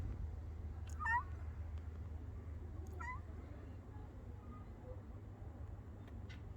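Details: Brown and white female cat meowing: two short, bent meows about two seconds apart, the second fainter, over a steady low hum.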